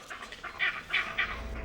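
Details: Vervet monkey leopard alarm call, a signal that sends the troop dashing for the thinnest canopy branches: short harsh barking chirps repeated several times in quick succession over a low rumbling background.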